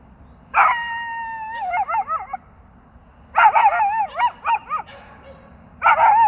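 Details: A dog howls in long sustained tones that break into wavering, yodel-like warbles, three rising bouts spaced a few seconds apart, loud and clear against a faint low hum.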